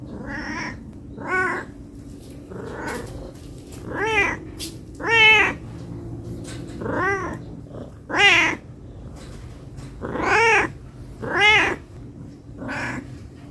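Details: Hungry domestic cat meowing to ask for food: harmonic, arched meows with a rising-falling pitch, roughly eight calls spaced about one to one and a half seconds apart, with a low steady hum underneath.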